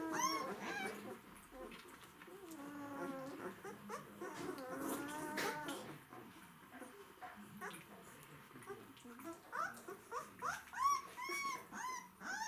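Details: Several White Swiss Shepherd dogs, described as hungry, in a small room: high wavering whimpers and whines with rising and falling tones, in bursts, then sharp short squeaks near the end, with human speech in the background.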